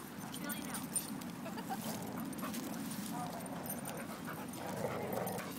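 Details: Pit-mix dog growling during a three-way tug-of-war at a dog park with an 8.5-month-old Akita named Charlie and a Retriever; low, rough, continuous rumbling growl with scuffling, panting and human voices behind.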